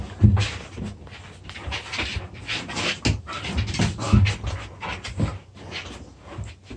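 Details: Two dogs play-fighting, puppies at play: bursts of panting and low huffing growls in quick irregular bouts, scuffling noises between them, with faint music in the background.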